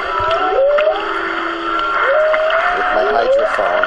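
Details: Whale mother and calf swimming close to a boat off Maui, recorded underwater by hydrophone on 3-22-16: smooth tonal whistles sweeping upward and gliding across mid pitches, with a steady ringing background and overlapping calls.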